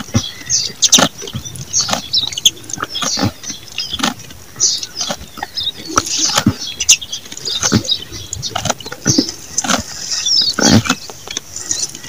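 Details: Goat feeding, producing repeated sharp crunches and wet clicking chews at an uneven pace over twelve seconds, with scattered faint bird chirps behind.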